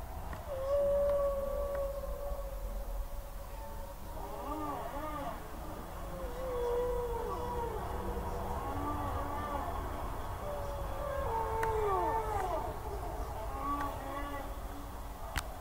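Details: An albino humpback whale gives long, wavering moans and swooping tonal cries over a low underwater rumble.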